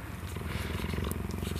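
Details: A cheetah purrs in a steady, low, rumbling drone that pulses rapidly and evenly while grooming a person inside its enclosure on a sub-zero winter night in South Africa; these cheetahs purr only when grooming humans.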